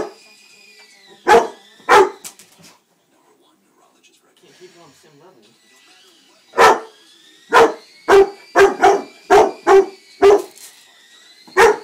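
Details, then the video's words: Two-year-old Rottweiler named Jaden barking at a child's new toy helicopter, which it does not like; two sharp barks, a pause with faint background sounds, then a run of about eight loud barks, with a steady whine of the toy's motor throughout. "My Rotty does not like helicopters!"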